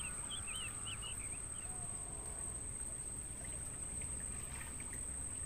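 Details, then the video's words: Mangrove forest crickets, used as sound therapy for songbirds, keep up a steady shrill trill, while early on a bird gives a few quick looping, warbling whistles, and faint chirps follow near the end over low background noise. "Suara Jangkrik buat Masteran Burung"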